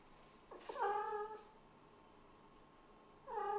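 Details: A kitten that has been hunting appeals to its owner for praise, giving a drawn-out wavering meow of about a second, then a pause and a second meow beginning, indoors and quiet.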